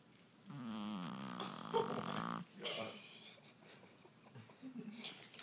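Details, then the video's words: Stella, a 5 lb Shih Tzu sleeping indoors after a long day with no naps, snoring hard: one loud, rattling, fluttering snore lasting about two seconds, then softer breathy sounds, with a person speaking quietly nearby. "Stella snoring hard"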